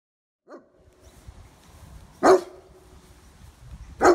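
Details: A young male German Shepherd, described as overly defensive and suspicious of people, gives two loud, sharp barks about two seconds apart, preceded by a faint short whine, with quiet background in between.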